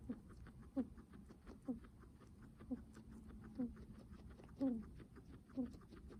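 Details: Guinea pig with heavy breathing: faint, low wheezing squeaks spaced about a second apart. One slightly longer, drawn-out wheeze comes near the end, with a quiet background.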